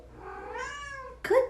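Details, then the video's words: A house cat lets out a long, smooth meow that swells and then slides downward, followed right away by a sharper, brighter chirp-like cry; steady low hum behind. "Linking Cats meowing sound effect"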